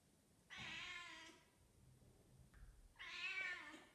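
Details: A 10-month-old female British Shorthair cat (Felis catus) in heat gives two long, drawn-out, wavering meows, calling for a tom.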